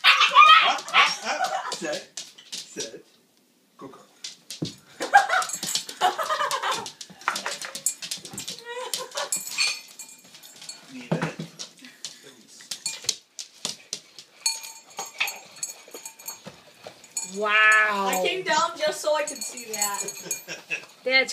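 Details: Siberian Husky puppy vocalizing while waiting to eat: short whimpers and a wavering, whiny yodel near the end, mixed with a woman's laughing and talking and some clatter.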